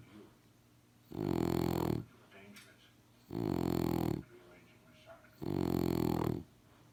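A French Bulldog snores in loud, rumbling rasps about every two seconds, with quiet breathing between.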